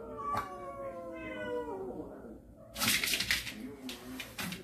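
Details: Cat from a family of storage-shed cats that have come into the house, giving one long drawn-out meow that slides downward over about two seconds, followed by bursts of rustling and clattering noise.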